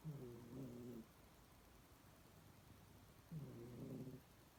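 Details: Snoring cat giving two low, buzzy one-second snores separated by a quiet gap of about two seconds.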